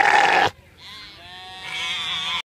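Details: After a brief loud burst of noise, a sheep gives a long, hoarse, wavering bleat that sounds like a heavy smoker.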